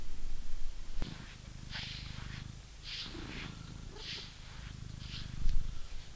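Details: Coco, a British Shorthair cat, being brushed: a soft, low steady purr runs beneath loud, hissy brush strokes about once a second, with a sharp click near the start.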